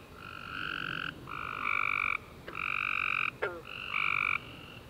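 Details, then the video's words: Tree frogs singing together at night after warm summer rain, steady nasal trills overlapping and alternating at slightly different pitches, interrupted twice by brief sharp snapping sounds. "Tree Frog Chorus After A Warm Rainy Day"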